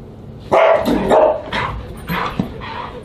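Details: Siberian Husky at dinner in July 2022, a quick run of loud, rough barks and yelps within about three seconds, each burst tapering off.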